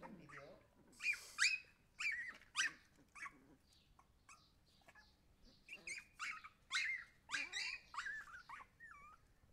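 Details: Young Siberian Huskies yelp and squeal in short, uneven bursts, pausing briefly in the middle before the high-pitched cries start again and end on a wavering whine.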